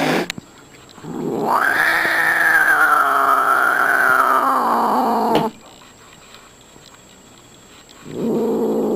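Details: Fighting domestic cat: one long, loud, strained yowl lasting about four seconds, rising, holding and wavering before cutting off, then quiet, then another low moan begins.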